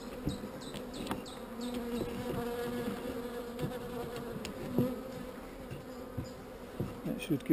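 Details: Gentle bees at an open hive while queen cells are handled and wax broken off a frame: a sustained low droning hum with a steady overtone, mixed with repeated light clicks and handling noises.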